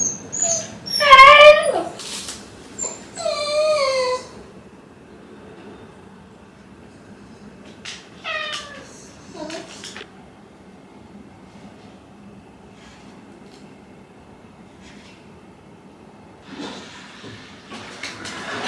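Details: Hachi, a talkative Shiba Inu, complains at bedtime after a long wait: loud, wavering, whiny grumbles early on, a shorter burst later, then a mostly quiet room with faint movement.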